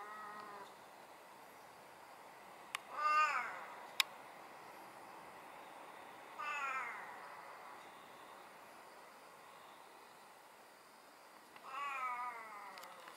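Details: Vocal hachiware (tuxedo) pet cat utters four uneven meows, falling wails with long gaps, plus a couple of sharp clicks and a low background hiss.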